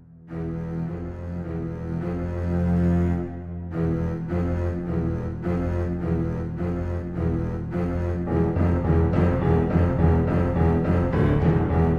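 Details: Dark, suspenseful music of deep bowed strings and double bass plays throughout, its pulsing notes growing denser toward the end, with no animal voice.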